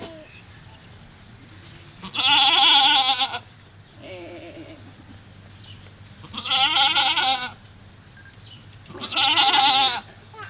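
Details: Goat at a cow farm during giving birth, three loud wavering bleats with a strong harmonic stack, each about a second long, spaced roughly every three to four seconds, with a faint low hum and a softer call between.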